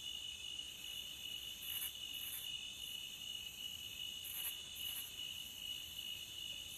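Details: Cricket at the beach: a continuous, steady high-pitched trill holds without pause, with a fainter higher shimmer swelling briefly now and then over a soft background hiss.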